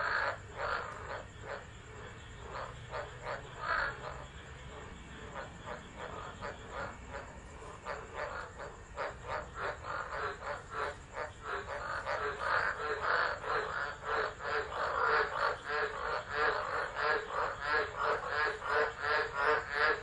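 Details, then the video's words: Frogs calling in a tropical storm at Driver, Northern Territory, Australia, December 2013, captured by an unattended phone; rapid, fairly regular croaking pulses build steadily in loudness, with a continuous shrill whine in the background. "Tropical Storm Frogs Singing"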